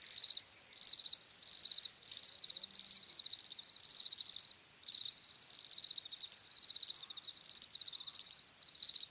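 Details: Shrill cricket chirps in rapid pulsed bursts of about half a second, repeated with short pauses and overlapping callers, forming a dense high-pitched chorus.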